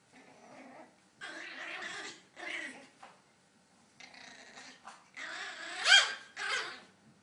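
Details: Maltese puppy mixing rough, growly grumbles with high yaps in a series of bursts; near the end one yelp rises sharply in pitch before quieter huffing.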